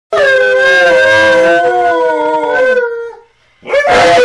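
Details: Alaskan Malamute left home alone, howling: one long sustained mid-pitched howl with rich harmonics, holding steady then sliding slightly downward before fading, followed by a brief noisy burst with another voice after a short gap.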